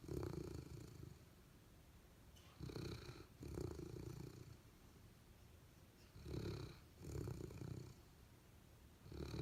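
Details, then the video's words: Dog snoring while asleep and dreaming, from a Golden Retriever and Labrador pair: deep, raspy rumbles repeating every couple of seconds, pairs of breaths with quiet pauses, low and soft indoors. "Dog Snoring: Golden Retriever and Labrador"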